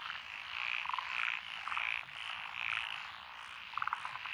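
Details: Rice paddy frogs among lotus fields in Echizen, Fukui Prefecture, Japan, recorded 12 June 2021; pulsing chorus in waves about every half second, plus rapid rattling croak series from closer callers near the start and end.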